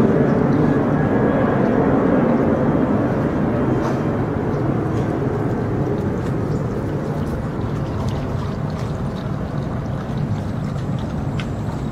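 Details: Loud broadband roar of passing traffic or an aircraft fills the whole recording, slowly fading toward the end; no animal voices.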